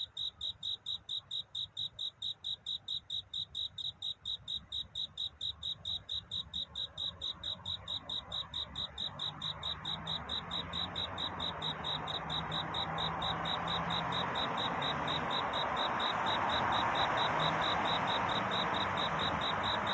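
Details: Night-time courtship song of a cricket before dawn: crisp, regular high chirps about twice a second, while a broad rushing hiss gradually swells louder through the second half.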